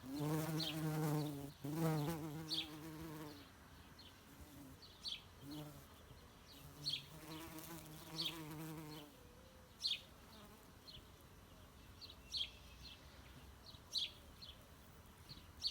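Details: Greenhouse bumblebee giving a strong droning buzz that wavers slightly in pitch, a long bout at the start, then shorter bursts. Sharp bird chirps repeat throughout.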